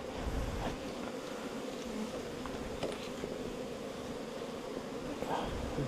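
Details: Honey bees at their nest inside a bamboo stem 4 metres long give a steady, continuous droning hum that holds an even pitch throughout, with faint rustling and low background rumble underneath.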